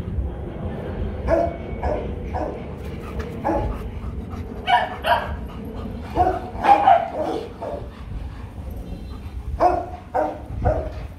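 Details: Rottweilers Loki and Siro during a mating session, kept by a breeder hoping for puppies in 2021; short mid-pitched yelping barks and whines come in scattered bursts over low background rumble.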